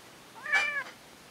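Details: Orange-and-white domestic cat giving one clear, drawn-out meow that rises and then falls, in a quiet room. A person calls the cat by name just before and after.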